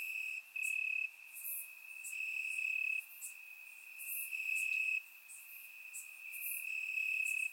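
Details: Crickets in Bulgarian grass after dark on a warm summer night, surround-microphone recording: an unbroken high-pitched trill with loud bursts roughly every two seconds and quick bright ticks above.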